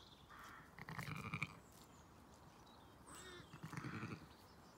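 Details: Zwartbles sheep on a regenerative farm in County Kilkenny, Ireland, as the ewe Celandine and her ewe lambs join the ewe Dior and her twins; two short wavering bleats about two and a half seconds apart, with birds chirping in the background.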